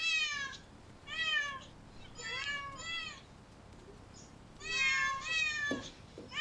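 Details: Meowing cats from parks, zoos and streets: bright, strongly harmonic cries, some arching up then down, in clusters of two or three with pauses between, and a few soft clicks.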